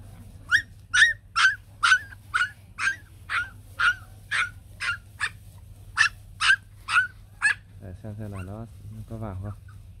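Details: A mother Bac Ha dog, white long-haired Vietnamese native breed, with puppies clinging to her to nurse: a steady run of high piercing yelps roughly twice a second for eight seconds, then a woman's voice.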